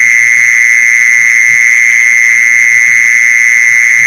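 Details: Mole cricket lure call: a sustained, shrill, unvarying buzzy trill running without a break, with soft irregular low taps in the background.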